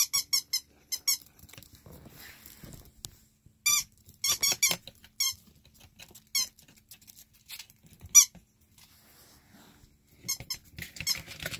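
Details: Domestic ferret, recovered for a third time after being in critical condition, gives bursts of quick, high-pitched squeaks in rapid series of three to six, separated by pauses, with light rustling and scratching indoors between bursts.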